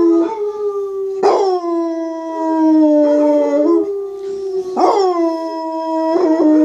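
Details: A pet basset hound howls while listening to videos of basset hounds howling. Its long, mournful howls start with a sharp yelp and slowly slide downward.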